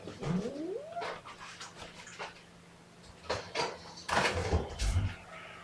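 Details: Domestic kittens, one of a litter of four with their mother Seraphina nearby, objecting to being pottied before weighing: a rising then falling mew near the start, then short broken cries and handling noises with a low steady hum.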